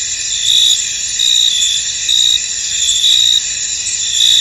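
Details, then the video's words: Cricket chorus from a fog-covered field, shrill and continuous, with louder bursts of chirping rising and falling about every second against a constant high hum. "Tranquil Cricket Sounds In An Misty Field"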